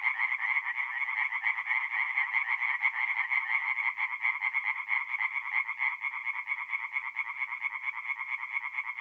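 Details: Tree frogs singing at night at a forest pond in mid-April in north-east Italy; a dense chorus of rapid, rattling croaks packed into a steady band, overlapping callers giving an uneven pulsing texture throughout.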